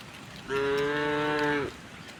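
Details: On a quiet morning walk to a vast pasture, a tame cow utters one even, sustained moo of just over a second with strong stacked harmonics, fading with a slight drop at the end.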